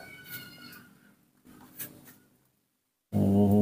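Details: Baby monkey Nomi, refusing bananas, calls to ask for milk: a thin, high whining squeal with bright overtones in the first second, then softer rustling and a sudden burst of human speech at the end.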